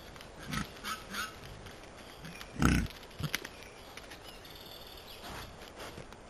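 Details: A group of wild boar jogging through woodland on a camera trap gives short, low, rough grunts among loud rustling and crashing through undergrowth.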